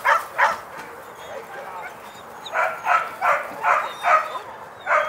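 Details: Barking from a Border Collie during a herding clinic, a rapid run of roughly two to three barks per second after a brief lull, bright and sharp, over soft rural background with distant birds.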